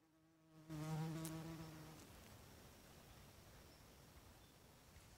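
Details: Bald-faced hornet flying close to its nest as evening comes on during nest building: one loud, low, humming buzz with layered overtones lasting just over a second, then fading into quiet background hiss.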